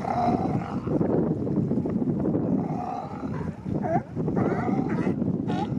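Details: Dense chorus of male sea lions claiming mating territories at Monterey's Coast Guard pier, Monterey Bay; a thick wall of rough, overlapping grunts and barks, with a few sharper rising-falling barks standing out near the end.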